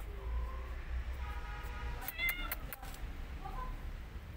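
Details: Cats: a mother cat that had been licking her own kittens attacks an orphan kitten after smelling her. Several short, thin, harmonic mews, some higher and squeakier near the middle, over a steady low rumbling background hum.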